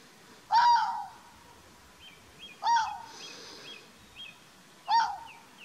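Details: A red fox at Chapmans Pool, Dorset, on 7 June 2016 gives hoarse, yelping barks, one roughly every two seconds.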